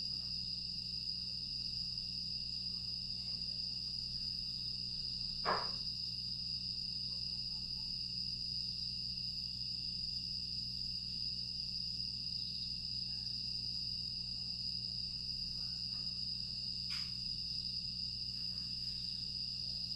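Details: Grass insects on a quiet summer night in Aewol, Jeju, 25 August 2022: an unbroken, steady high-pitched trilling chorus runs throughout, over a faint low hum, with a couple of brief soft clicks.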